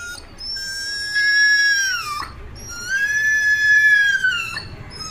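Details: Street dog mother crying after losing her puppies, whining near a gate: two long, drawn-out tonal whines, each held about a second, the second slowly sinking at its end, with a man's voice talking softly nearby.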